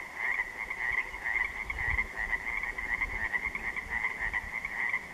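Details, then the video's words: A dense chorus of Pacific tree frogs (Pacific chorus frogs) at dark on an interior lake on June 3, 2014, with many overlapping raspy, pulsing croaks blending into a steady trill. "The Sounds Of Pacific Tree Frogs At Dark, On An Interior Lake"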